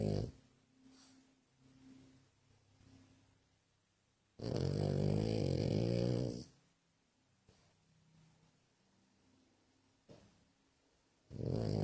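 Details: Pug puppy asleep and snoring: soft, low, rhythmic snores at a quick steady pace, broken by one loud, harsh, drawn-out snort lasting about two seconds, with another loud snort starting at the end.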